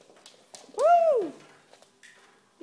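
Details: Domestic cats Mango and Mimi playing tag indoors during a visiting play date; one drawn-out, arched meow that rises then falls over about half a second, with soft thumps and faint household noises around it.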